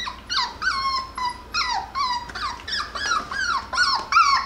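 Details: Playful, wrestling Jackabee puppies, a Beagle–Jack Russell cross, give a steady run of shrill, falling whimpers about every half second, each cry sliding downward, with hardly a quiet moment between them.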